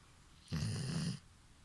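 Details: Hana, a sleeping five-year-old female Golden Retriever, lets out a humanlike snore: a single low, rattling, buzzy breath lasting under a second, with near silence before and after.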